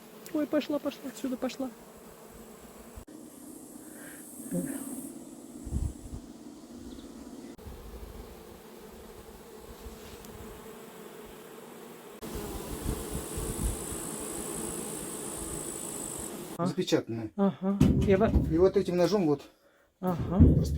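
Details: Honey bees at a beekeeper's apiary in a Russian village near Suzdal, while honey is being pumped, give a low, steady droning hum, with a person's voice at the start and end.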